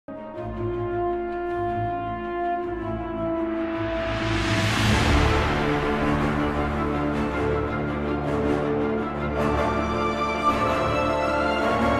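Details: Sustained orchestral music with horn-like tones and a swelling crescendo, with no animal voice. No animal sound is present.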